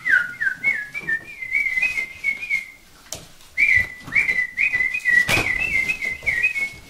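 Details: Vizsla puppies, named with Sejla, giving high, tonal whines: short notes slipping down in pitch, repeated rapidly in two bursts with a brief pause between, over faint indoor clatter.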